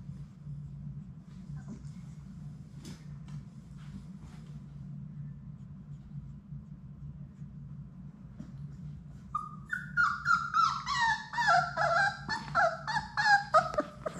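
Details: Labrador Retriever puppies, a litter of six, playing in their indoor puppy room; quiet scuffling gives way to a quick series of bright, falling whimpers repeated about three times a second, over a constant low hum.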